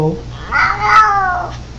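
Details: Domestic cat giving one brief drawn-out meow that rises then falls, with a person speaking to it right afterward.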